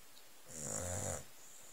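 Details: Pampered old Staffordshire Bull Terrier asleep on a settee, covered with a blanket, giving one rough, rattling snore lasting under a second in a quiet room.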